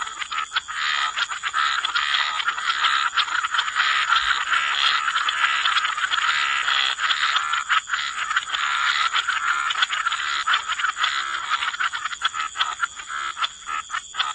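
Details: Continuous frog chorus in wetland surroundings, rapid rattling croaks packed so tightly they merge into one grating wall of sound, with a steady shrill hum in the background.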